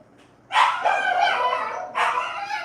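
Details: Boarded puppy throwing a loud temper tantrum: a long harsh, tonal bark-howl lasting over a second, then a second shorter yelping burst, indoors with quiet background.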